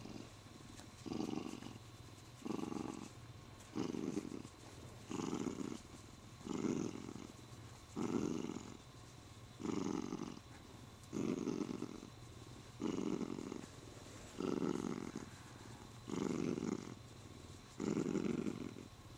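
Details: Spoiled male Siamese cat purring while stroked and holding its owner's arm: a long run of about thirteen even, low rumbling swells, each lasting under a second, separated by quieter inhaling purr.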